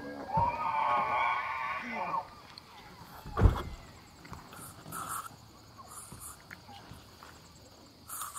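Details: Free-range bull elk during the September rut at the Elk Viewing Area, Charles M Russell National Wildlife Reserve, Montana, where hundreds of elk gather along the Missouri River. It gives a loud, high whistled bugle lasting about two seconds, then a sharp knock and fainter distant calls.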